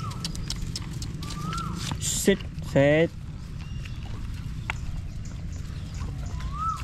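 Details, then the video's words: Stray puppy crying for help while held in someone's arms: soft arched whines rising then falling, heard three times, plus one louder harmonic cry in the middle, over a steady low rumble and brief voice-like sounds. "Stray Puppy Cries in My Arms for Help"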